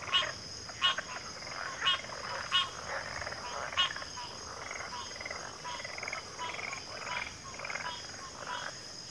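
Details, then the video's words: Many frogs calling together, short harsh croaks and pulsed rattles overlapping irregularly, a few louder bursts near the start, with a continuous high-pitched buzzing hum in the background. "Frog Chorus"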